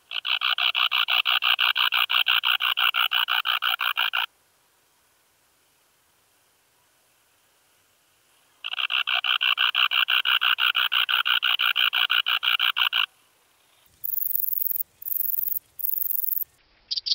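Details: Bicolorana bicolor, the bicolour meadow bush-cricket, in Breitenbrunn, Austria, 13 July 2020: loud rapid rasping trains of evenly spaced pulses lasting about four seconds, a pause, another long train, then brief high hissy bursts.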